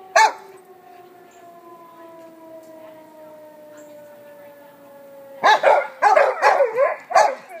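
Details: Pet dogs, including one named Biggs, react to a tornado warning siren never heard before; a slowly falling siren tone runs for five seconds, then a burst of wavering dog howls follows.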